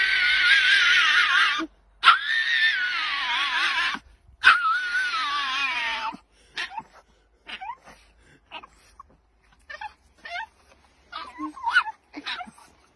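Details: A Boston Terrier, held in her owner's arms while a Basenji plays fetch, gives long, strained, wavering human-scream-like yelps breaking into short, scattered barks and whimpers as the other dog grabs the thrown stick.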